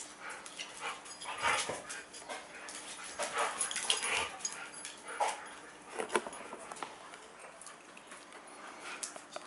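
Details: Two huskies playing tug-of-war with a chew ring; scattered short broadband bursts of growls, grunts and whimpers with scuffling and chewing noises, loudest around the second and sixth seconds, over a steady faint hum.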